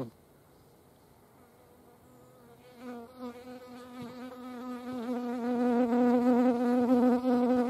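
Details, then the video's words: Hornets at a feeding place in the Eifel, observed in nature: after nearly three seconds of near-quiet, a steady low insect buzz with stacked harmonics sets in and grows louder, swelling and wavering slightly as the insects fly close. "Hornissen am Futterplatz. hornets at food."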